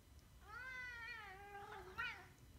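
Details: A pet Korat cat gives one long drawn-out meow, rising then sliding slowly down, with rich harmonics, followed by a short, sharper chirp-like meow near the end. A quiet room hum sits in the background.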